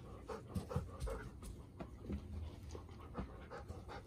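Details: Golden Retriever, a four-year-old female, tense the day after arriving at a new home in September 2021 and meeting her mother, with two other dogs present; soft, rapid, rhythmic panting breaths throughout, fairly quiet.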